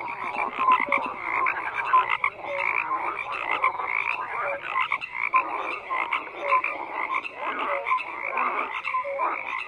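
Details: Dense frog chorus: many croaking frogs at once, buzzy pulsed croaks mixed with short clear tonal notes repeating through the whole stretch.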